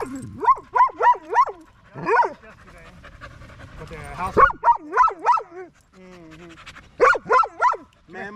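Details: Evening park session of a Staffordshire Bull Terrier with fellow male dogs, a 'wolf pack chat': clusters of three to four high, arched yelping calls alternate with a drawn-out whine and quiet gaps.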